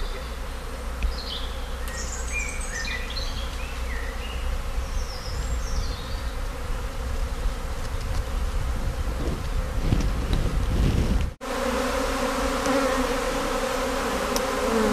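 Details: Swarming colony of British honey bees on the move at a visitor centre, tended by a local beekeeper, bees seeking a new home; dense low droning hum throughout, with a brief break near the end, voices faint.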